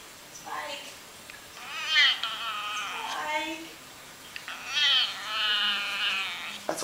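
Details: House cat answering its owner with weird noises: a series of wavering, harmonic-rich meows that rise and fall, several run together, with faint human speech in the background.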